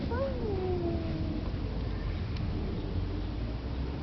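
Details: Domestic cat visited by a young girl: one drawn-out meow that starts higher and slides steadily downward over about a second, then fades, leaving only a low steady background rumble.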